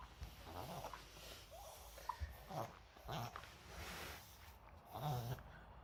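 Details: Moka, a pet Maltese dog, in a reverse-sneezing episode that a vet identified from this footage. Episodes come mostly at changes of season. Harsh, breathy snorting gasps come in uneven bursts, with low honking inhalations near the start and end.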